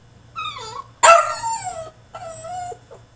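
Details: French Bulldog in his cage throwing a tantrum: a wavering whine, then a loud strained yelp that slides down in pitch, followed by a softer drawn-out whine.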